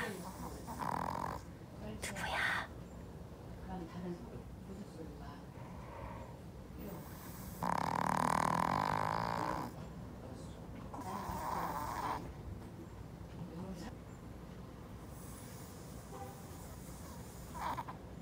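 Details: Pomeranian Doobu, a male born 18 November 2013 and normally a light sleeper, sleeping deeply and dreaming; rhythmic airy snoring bursts recurring every few seconds, one longer and louder snore near the middle.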